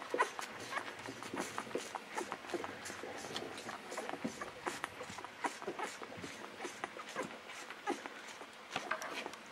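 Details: Golden Retriever puppies aged 11 to 13 days, with a cat nearby: faint squeaky puppy whimpers mixed into a steady patter of clicks, rustling and soft smacking noises, with no single call standing out.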